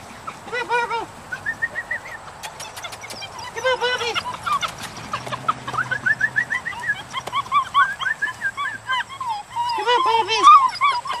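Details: Dutch Shepherd puppies born July 18th 2013, a litter of four males and three females handled together as a group. High arching whines and squeaky yelps repeat and overlap throughout, with scattered sharp clicks and knocks between calls.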